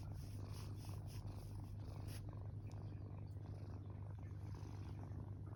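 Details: Tortoiseshell kitten rescued three weeks earlier, asleep on its back in a banzai pose, gives a soft, unbroken low purring drone for the whole short stretch.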